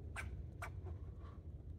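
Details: Squirrel barking as it leaps between trees, two loud, abrupt, harsh barks about half a second apart, then softer trailing chucks, with constant low-pitched rumbling underneath.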